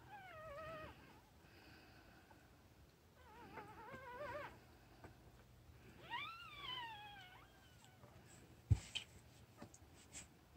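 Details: High, quavering cries from newborn puppies: drawn-out whines that bend up and down, three main bouts, then a sharp knock and faint clicking near the end in a quiet indoor setting.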